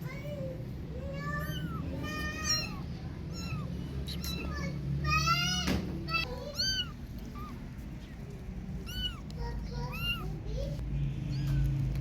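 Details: Kittens out playing, several voices giving many overlapping rising-and-falling meows, some high and thin, others lower, with faint talk and background sound beneath.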